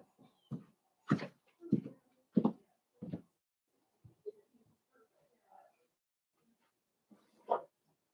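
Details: Blenheim Cavalier King Charles Spaniel puppies, part of a litter of five born on New Year's in a home puppy pen, give a run of short, harsh yaps about every half second for three seconds, then soft scattered noises and one last yap.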